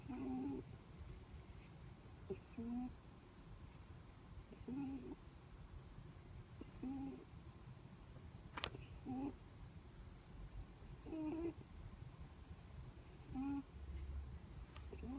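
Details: Sleeping Netherland Dwarf rabbit's breathing snores: brief squeaky nasal whines recurring roughly every two seconds in a steady rhythm, with soft clicks and faint indoor background noise between them.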